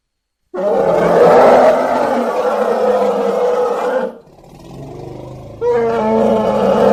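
An elephant calf gives loud, harsh, roaring calls with a brief quieter pause between them.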